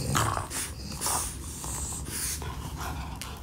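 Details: French Bulldog at playtime, recorded close up indoors in a small room: low rumbling growls and snorting breaths, broken by repeated broadband scuffing and chewing bursts as it plays.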